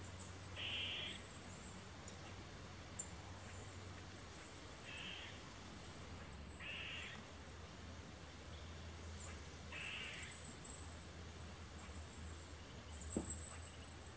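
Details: On a woodland trail, an eastern gray squirrel gives harsh, raspy alert barks every few seconds after seeing people walk by.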